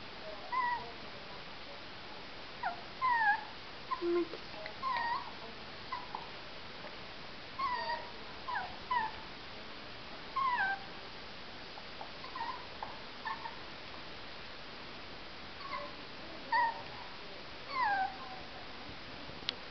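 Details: Jack Russell Terrier puppies kept in a cage give faint, thin whines that slide downward, scattered in brief bursts over steady background hiss.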